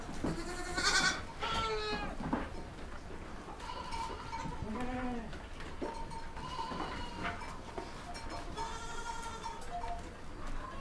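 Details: Baby goats calling with repeated nasal bleats, a loud harsh bleat at the start, then several softer overlapping bleats of varied pitch, over a steady low background rumble.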